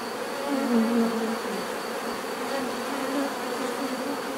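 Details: Loud buzzing of bees, one nearby insect's wing hum rising and falling in pitch early on above the constant collective drone of the others.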